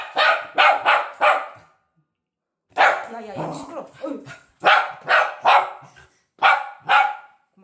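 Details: Pet dog Mango protests the owner leaving home with loud, insistent barking: a quick run of three barks, a woman's voice telling him to stop, then two sets of rapid, sharp barks in pairs and threes.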